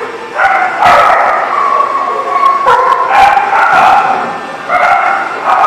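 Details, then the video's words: Dogs barking in loud, harmonic bursts that come in quick runs with short gaps, the barks overlapping at times and rising and falling in pitch. "The Barking Lot"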